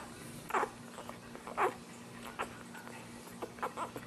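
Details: Ten-day-old Dachshund puppies with their protective mother, indoors; short high squeaky whimpers and squeals come at irregular intervals, roughly once a second, over a steady low hum.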